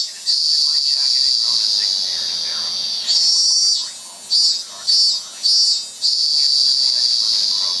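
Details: A very loud cicada (zemi) in Japan gives an intense, piercing continuous drone, then a run of four rhythmic surging pulses before settling back into the steady high buzz.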